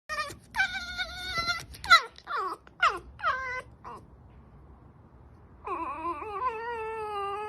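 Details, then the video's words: Fox vocalizing with a series of high, harmonic whining cries that sweep downward, several in quick succession, then a long wavering whine after a short pause. "Foxxo makes noises"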